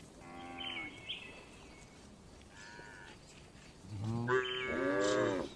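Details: Cows resting in a farm barn, one faint moo early on followed by a quiet stretch, then a louder, longer harmonic moo near the end, with some higher barn noises in between.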